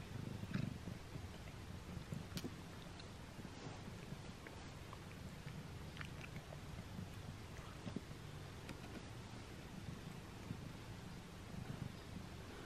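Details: A quieter stretch as Simba, a pet cat, eats his first string cat treat up close: a low continuous purr hums under a few faint chewing clicks.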